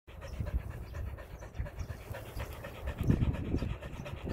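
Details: Eli, a Border Collie, playing frisbee, panting hard: fast, rough, low breaths in a steady rhythm, rising in force toward the end, with no other clear sounds.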